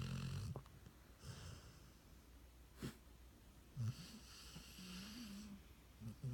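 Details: Cody the dog snoring while asleep: low, rough rumbling snores come in short bursts, with breathy hiss above them and quiet gaps of one to two seconds between breaths.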